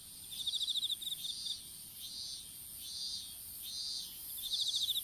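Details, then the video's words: Insect chorus in an outdoor strawberry field at seedling planting time, on a smartphone lying on the ground: two short, fast pulsed chirp trains at start and end, with soft, hissing high bursts swelling roughly every second between. "虫の鳴き声in いちご畑"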